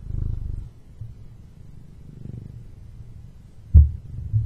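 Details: Male pet cat purring close up: low, rumbling pulses that swell and fade, louder at the start and again near the end, with a short sharp knock before the close.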